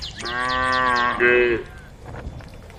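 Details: Cows in a group on a road at the edge of a forest, calling the herd: one long, steady, harmonic moo lasting over a second, ending in a brief louder rise, with quick descending bird chirps at the start.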